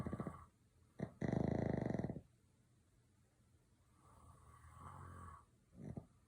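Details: Sleeping dog snoring: a loud, buzzy, rattling snore lasting about a second, short snorting breaths before it, then a softer, drawn-out raspy exhale and a final brief snort in a quiet room.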